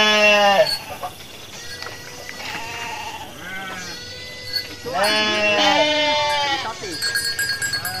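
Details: Hundreds of sheep amble toward their pen after a midday feed, calling repeatedly; several overlapping bleats, some low and short, others loud, wavering and drawn out, with footsteps and rattling between calls.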